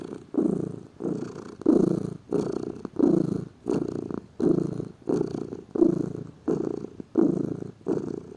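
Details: A lazy pet cat purring: a rhythmic, low vibrating rumble of about eleven breath-length pulses over eight seconds, evenly spaced with short pauses between them.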